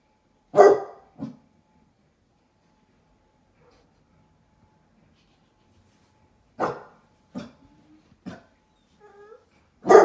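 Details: Basset hound puppies indoors watching from a window, barking at a stranger outside: widely spaced single barks with short softer follow-ups and a brief whine between, long quiet gaps, a final loud bark at the end.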